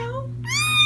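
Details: Indoor feral kitten from a litter being socialized: a brief lower cry, a short pause, then a sharp, high, rising scream that grows louder, with a faint steady hum behind it.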